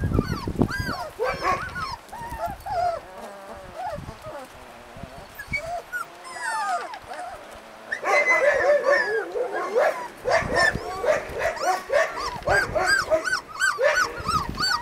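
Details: Husky puppies in Lapland, Finland, a litter calling together: many overlapping high whines and yelps, rising and falling, dense and continuous, with a quieter lull midway before the chorus swells again.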